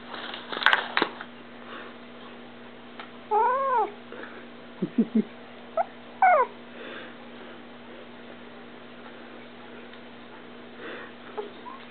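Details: Female kitten indoors, said to be growling: short harmonic mewing calls near the middle, then a few brief chirp-like calls, with handling noise at the start and a steady low hum throughout.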